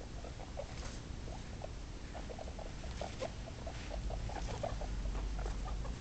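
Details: Two-day-old guinea pig pups: soft, short squeaks repeated about twice a second, some in quick pairs, over a steady background hiss.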